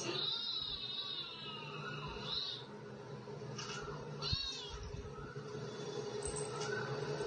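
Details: Domestic cats Katty and Pchie: a long wavering meow that quavers for over two seconds, then two short arched meows near the fourth second, against a constant low household hum.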